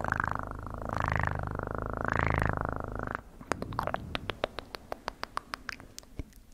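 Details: A cat purrs loudly for about three seconds in a low, throbbing buzz that swells with each breath, then gives way to a run of evenly spaced sharp clicks and taps.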